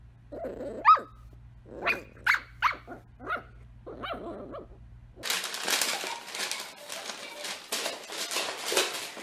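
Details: Wiener dog, a Dachshund, giving a string of short high yappy barks, then loud rustling, crinkling noise that takes over the rest of the recording.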